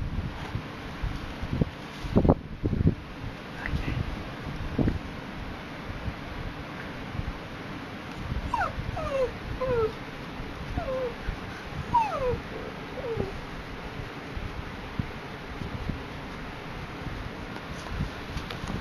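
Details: Poodle during a picnic at Tai Lam Country Park, giving a series of short, high whimpers that slide up and down, clustered in the middle of the recording over steady outdoor background noise and occasional thumps.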